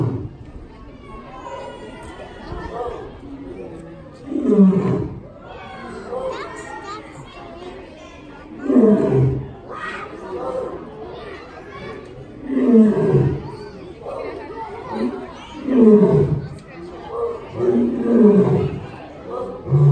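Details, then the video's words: Hubert, a male lion born in 1999, roaring on New Year's Day 2019 at the Los Angeles Zoo; a series of deep, rhythmic grunting roars repeating every two to three seconds and building in strength, with crowd chatter in the background. "Lion Hubert Roars in New Year's day 2019"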